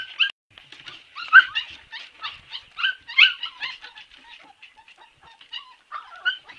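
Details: Siberian Husky puppies whimpering: thin, high squeaky whines and short yips in overlapping bursts, some calls bending up or down in pitch, coming irregularly about every second with brief quiet gaps between.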